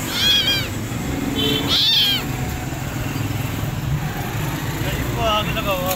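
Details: Burnt, wounded, starving stray kitten being rescued: a few high, arched meows near the start and again near the end, over steady outdoor background noise.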